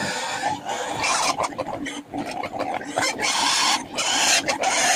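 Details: Native pigs on a small backyard farm at feeding time, being given mixed feed and banana; loud rough squeals and grunts come in uneven bursts with short gaps, over a steady noisy background.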